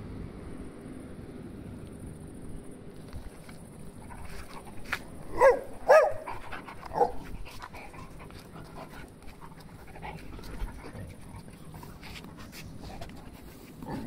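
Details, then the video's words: Dogs romping at play, giving a short cluster of three sharp, mid-pitched barks or yips about midway through, with a low background rumble and soft panting-like noise throughout. "Резвимся с собаками"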